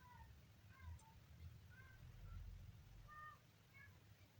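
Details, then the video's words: Kitten on its third day making several brief, faint squeaky mews at uneven intervals, the clearest near the end, over a loud low-pitched background rumble. "kitten funny sound"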